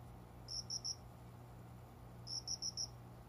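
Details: Cricket heard indoors by a window's small plant area at dawn, shortly after five in the morning, in summer; two clusters of three crisp high-pitched pulses separated by a quiet gap, low steady hum beneath.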